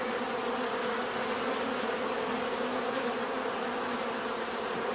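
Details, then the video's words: Steady dense buzzing of many bees, a continuous drone with bands around 250 and 500 and a faint pulsing high tone near 4.5k, even in loudness throughout, no other sounds. "bees therapy relaxing natural buzzing sound"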